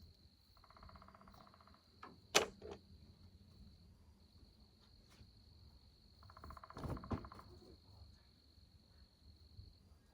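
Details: A steady, high-pitched daytime chorus of spring peepers, said to be calling for rain, on a warm sunny day near 80–88°F in Tennessee on 21 March 2026, broken by a woodpecker's sharp knock and two short bursts of lower, droning sound.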